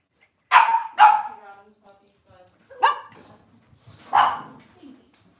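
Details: Cavalier King Charles Spaniel indoors on a kitchen cam with off-season mothers, puppies and sometimes fathers, cloudy Monday morning; four sharp, bright barks, two in quick succession, then two more spaced over a couple of seconds, in a quiet room.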